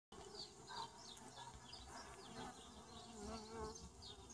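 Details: Honey bee colonies emerging after winter 2017, checked by a beekeeper for winter losses; a steady dense hive buzz with a low hum band and scattered brief higher chirps over it.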